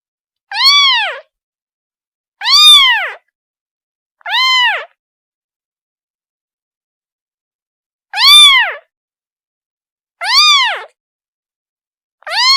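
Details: A kitten calls its mother with a series of six clear, rising-then-falling meows, roughly one every two seconds at first, then a pause before three more; strongly harmonic, no other sounds.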